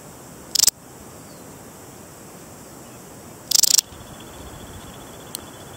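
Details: Balearic saddle bush-cricket (Parasteropleurus balearicus), a large 4–5 cm bush-cricket endemic to the Balearic Islands such as Menorca and Mallorca, gives short, high, rasping chirps of a few quick pulses, about three seconds apart.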